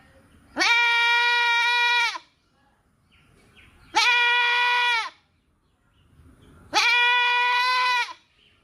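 A goat gives three long, steady, nasal bleats, each about a second and a half, with short pauses between.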